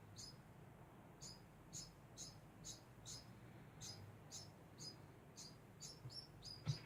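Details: Constant chirping from a degu: thin, sharp squeaks repeated roughly every half second, growing quicker toward the end, where a soft knock is heard.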